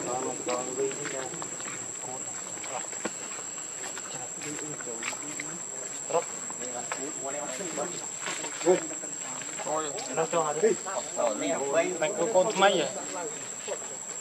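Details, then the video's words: Hungry baby monkey named Leo, also called Rainbow, crying and begging its mother for milk: wavering, whimpering harmonic cries in short bursts, growing louder and more frequent toward the end, over a steady high insect drone. "Rainbow Very Angry Need Milk Much I Smart Cute Lovely Baby Monkey"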